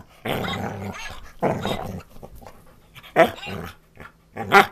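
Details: Tucker the pet dog answers his beloved puppet while playing gently, giving drawn-out growly, grumbling vocalizations in four bursts, ending with sharper bark-like yelps, indoors in a small room.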